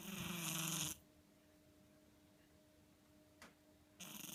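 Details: House cat asleep and snoring, one loud breathy rasping breath followed by quiet, then the next snore starting; a steady low hum persists in the background.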